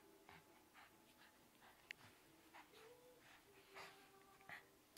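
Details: Shih Tzu named Alva playing with her ball indoors, giving faint, short nasal whines and soft breathy snuffles among light tapping and knocking sounds in a small room.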